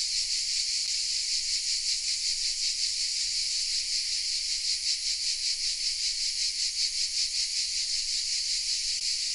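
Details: Southern French cicadas in village oak trees at Vézénobres, recorded with a Sony RX10 M3: continuous shrill buzzing from many insects, evenly throbbing in quick regular waves, with a couple of faint clicks.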